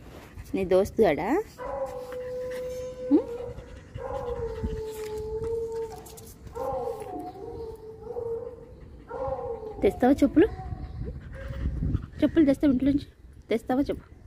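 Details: Dog howling in several long, steady, tonal notes, each held for two to three seconds and slightly wavering. Human voices are heard at the start and toward the end.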